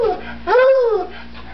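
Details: Beagle/Bluetick Coonhound mix, a female, howls when she hears her name: one smooth, arching howl lasting about half a second, rising slightly then falling away, after a brief softer note.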